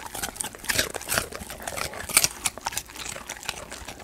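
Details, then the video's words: Golden Retriever crunching raw sweet potato indoors: dense bursts of crisp, snappy crunches and wet chewing clicks, coming several times a second with brief pauses between bites, in a quiet small room. "강아지 먹방(ASMR) 고구마"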